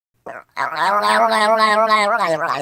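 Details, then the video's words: Dog making an unusual, human-like vocal sound: a brief yelp, then a sustained, loud, harmonic moan lasting about two seconds, wavering slightly in pitch like drawn-out singing. "These dogs made the weirdest sounds ever"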